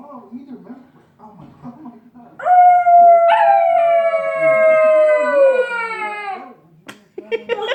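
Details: Quiet talking indoors, then Red, a 12-week-old puppy who loves to sing, lets out a long drawn howl of about four seconds that jumps up at the start and gently sinks before fading, followed by a brief sharp noise.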